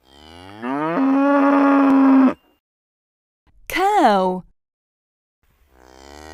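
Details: Domestic farm cow giving a sequence of moos: a long, level, resonant low moo of nearly two seconds, a pause, a shorter arched moo that rises and falls, then the start of another moo.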